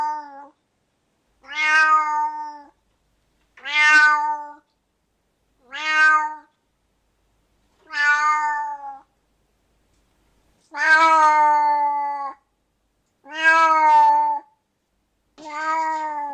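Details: Loud angry meowing from a domestic cat: eight drawn-out, harmonic-rich calls about every two seconds, each starting high and strained then settling into a steady wail.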